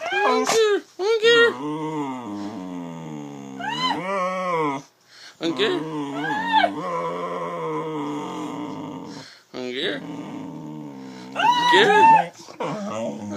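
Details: Pet dog making funny "talking" sounds indoors in a small room: long, wavering, harmonic moans and yowls that rise and fall in arcs, with short breaks between bursts and a person's voice mixed in.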